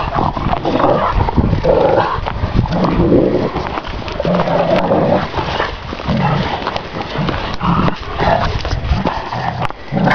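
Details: Šarplaninac dogs, more than one, kept in a yard. Continuous harsh, throaty vocal noise with growls and barks that blend together. The level stays loud throughout, with brief sharp clicks near the end.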